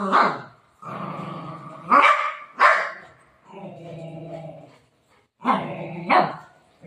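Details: Milo, a pet Golden Retriever, fusses while being given a medicine tablet: low, drawn-out grumbling growls broken by a few short sharp barks, with a woman talking to him nearby.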